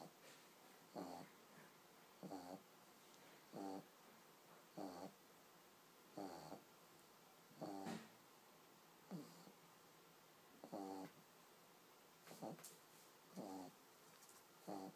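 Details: Pug puppy asleep, snoring steadily: short, raspy, buzzing snores about every second and a half, eleven or so in a row, in a quiet room.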